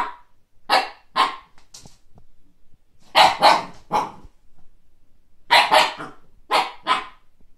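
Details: Siberian Husky puppy Kake barking at a frisbee seen for the first time: loud, sharp barks delivered in pairs and short groups with brief pauses between them.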